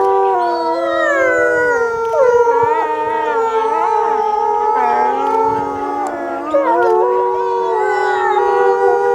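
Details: Several captive wolves at Asahiyama Zoo, Japan, howling together on 8 March 2012 at 15:15 as closing time begins, reacting to a woman's announcement; long overlapping steady and gliding tones weave densely without pause.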